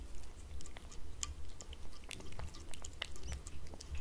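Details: Indoors on a glass table, a cat laps and chews wet food in quick, fairly steady rhythm, about two wet clicks per second, crisp smacks and licks close to the microphone in a quiet room.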